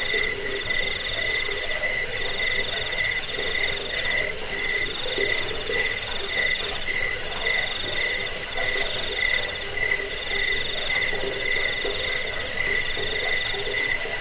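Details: Crickets played as a rat repellent, sleep aid and song tutor for birds: dense, rapid chirping, roughly four pulses a second, on two steady high pitched bands, with the chorus running unbroken and a faint buzz underneath.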